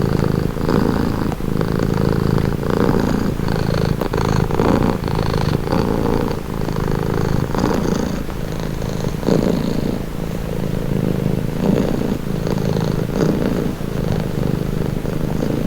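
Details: Domestic cat purring steadily, a deep continuous rumble that swells and eases with each breath roughly every one and a half seconds, unbroken for the whole stretch with no other sounds.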